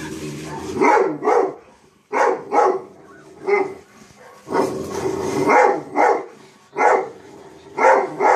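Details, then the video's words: A dog barking at himself: loud, broad barks in pairs and short bursts, roughly every one to two seconds, with brief quiet gaps between. "Chief barking at self"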